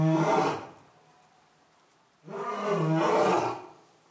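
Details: Orito, the young male lion at Asahiyama Zoo in Japan, newly a father, on the morning of September 15, 2022: two deep, rich harmonic roars, a short burst then a longer swelling one, separated by nearly two seconds of quiet.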